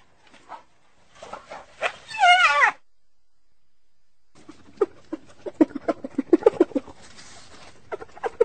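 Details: Hyena. A hyena lets out a strong, wobbling call that bends rapidly up and down in pitch. After a pause comes a loose series of short, broken, clicking and grunting sounds at an uneven pace.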